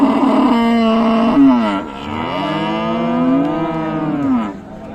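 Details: A bull or cow at Raniganj market, Dinajpur, among meat cattle for sale, gives a loud, rich, drawn-out moo: a sliding note that dips, then swells and holds for about three seconds before fading.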